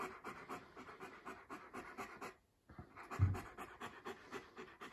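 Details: Young male East European Shepherd named Eric, a puppy on a house visit, panting steadily in rapid rhythmic huffs, briefly pausing for a silent moment before resuming, with a soft thump midway; indoors, no other clear sounds.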